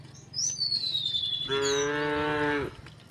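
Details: Cows being herded across a wooden bridge toward green fields; one cow gives a steady, drawn-out moo, preceded by a thin, falling bird whistle.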